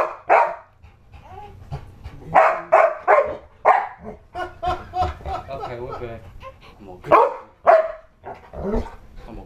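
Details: Indoors, a pit bull-husky cross called Dojo defends a newborn from pretend attacks with repeated loud, rough barks in uneven clusters, mixed with a person's voice and softer whining sounds between.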